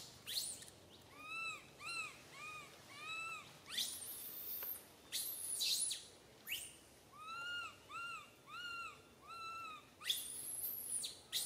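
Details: Infant monkey Santo crying on a branch, mother Sara unable to care for him; series of short, arched, harmonic whimpers repeated about twice a second in bouts, broken by brief high shrieks.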